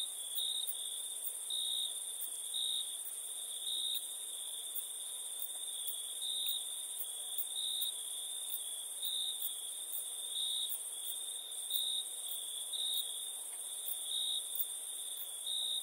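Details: Crickets chirping at nighttime: a steady high trilling band that swells and dips in loudness, over a fainter, even higher hiss with faint ticks repeating roughly every second.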